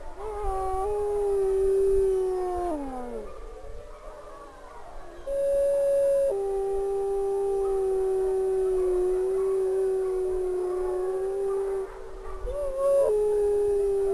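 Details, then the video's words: A single female wolf at a wolf sanctuary howling; long sustained tones with harmonics, a first howl that breaks and slides downward, then a higher note leading into a long steady howl with overtones, ending in a short upward break. "WOLF Sanctuary -- Renata Howling"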